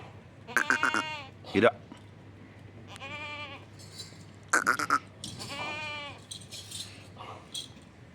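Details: Goats bleating on a farm: several wavering, harmonic bleats of about half a second to a second each, some quick stuttering calls, with a steady low hum underneath.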